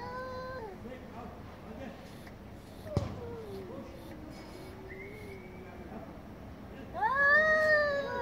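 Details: Angry domestic cats meowing very loudly: short yowls, a low wavering moan with a click, a thin high whine, then a loud rising-and-falling howl at the end.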